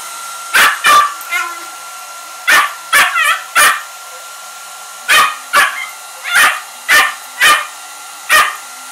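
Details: A Shiba Inu gives sharp, high barks and yelps in uneven bursts at a hair dryer blowing cold air, over its steady whine.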